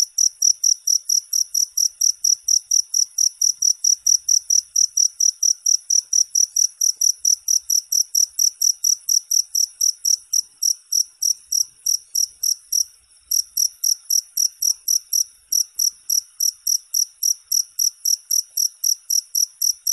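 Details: Cricket sound played continuously for sleep and to chase off mice; long series of fast, high, ticking chirps with a brief break near the middle, then resuming steadily.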